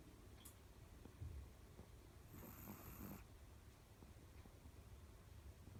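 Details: Dog asleep and snoring in a quiet room, one airy, rasping inhaled snore under a second long midway through, with a faint low rumble beneath and steady background hum.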